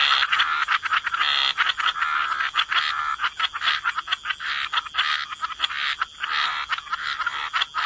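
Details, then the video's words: Frogs croaking in a wetland chorus by the water, many callers overlapping into an almost continuous raspy, pulsing wall of sound with a thin steady whine above. "Relax to the Sound of Croaking Frogs"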